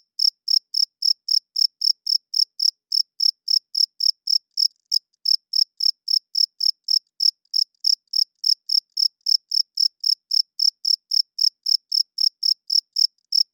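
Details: Loud nighttime cricket chirping, the males' wing-rubbed call to attract mates and defend territory; rapid, uniform high chirps continue without letup, broken only by one faint click near the middle.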